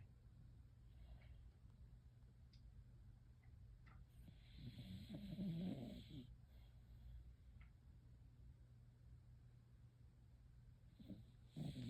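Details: Sleeping dog snoring while dreaming: soft, low rumbling breaths repeating about twice a second, swelling louder and raspier around the middle, over a steady faint background hum.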